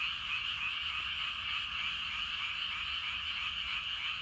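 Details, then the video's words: A dense evening chorus of many frogs in a rice paddy, rapid overlapping croaks merging into a steady trilling roar. "저녁때 논에서 개구리 울음소리가 대단합니다. 개구리들이 엄청 많은가봐요!"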